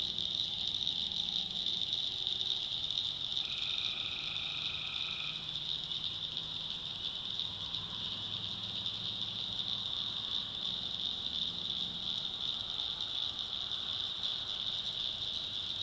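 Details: Tree frogs at night in a swamp in the backwoods of North Carolina; a steady, even trill of about two seconds rises above a dense, shrill, continuous night chorus, with faint low murmurs later.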